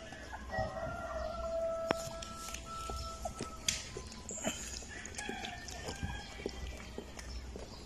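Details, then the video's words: Nine-day-old Golden Retriever puppies competing to suckle from their mother: thin, drawn-out whining tones held for a second or more, then shorter squeaks scattered among soft rustling and clicking sounds. "9 DAYS OLD GOLDEN RETRIEVER PUPPIES COMPETE TO SUCKLING FROM MOTHER"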